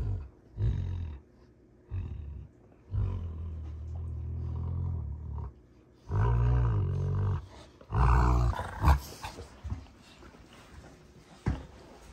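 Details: Play fight between two Rottweilers, June and Kenai, at a ranch: softer, clipped growls build into louder, harsher roaring snarls midway, then fade to quiet rustling.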